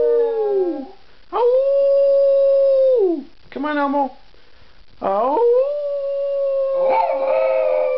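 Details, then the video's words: Miniature schnauzer singing for an audience, a series of drawn-out howls broken by short gaps, each held level before dropping away, with a wavering, quavering note in the middle and a rising start to the last long howl. "Elmo sings his heart out!!!"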